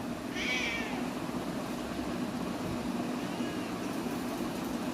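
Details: Domestic cat talking with its owner, giving one short, bright meow early on, then a much fainter meow a few seconds later, against a constant low hum.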